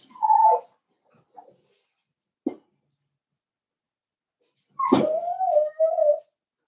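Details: Cavalier King Charles Spaniel puppies, four weeks old, in a home puppy pen: a falling whimper opens, then after soft taps and a pause comes a sharp yelp-like onset that settles into a drawn-out, wavering whine, with a faint high electronic whistle.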